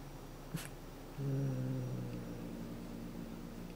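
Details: Somali cat Shushu growls a low, droning 'uu' to keep its cat teaser toy from being taken. The steady, rumbling growl starts after a soft tap and runs about a second before fading. The room is otherwise quiet.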